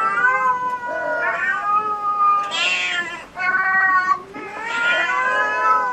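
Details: At a cat cafe home to Su-kun, a disabled black cat, and Hoa, a pale cat with black markings, long continuous wailing meows run almost without pause, wavering in pitch with bright, strained upper tones.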